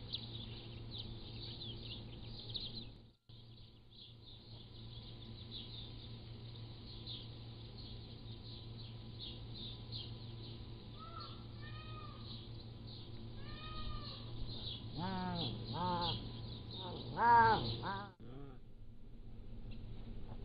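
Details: Young Pallas's cats aged three to seven weeks, recorded on a motion-triggered trail camera with birds in the background. Faint arched mews grow into a rapid run of louder harmonic calls late in the clip, over a constant high-pitched buzz.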